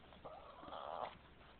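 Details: Cartman, a pet Boston Terrier that does not like being kissed, gives a drawn-out, moaning grumble lasting about a second, wavering in pitch, right after someone offers him a kiss; a human voice speaks around it.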